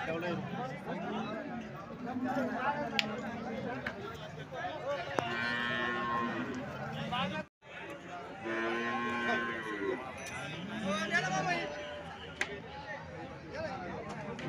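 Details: Cattle at the Alephata cow market, 21 March 2024, with some two hundred cows on sale; several long lowing moos in two bursts separated by a short break, over crowd chatter and market noise.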